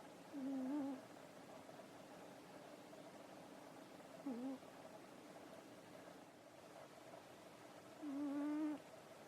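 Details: Cat Nekoyanagi, worn out from play after eating dinner, snoring in sleep with three low whistled breaths, wavering then steadier, several seconds apart, over soft continuous background noise.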